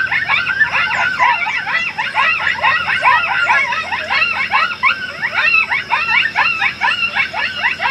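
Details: Several coyotes in summer give a frantic chorus of high yips and quavering howl fragments. The calls tumble over one another without a break and build into a chaotic, yodelling tangle.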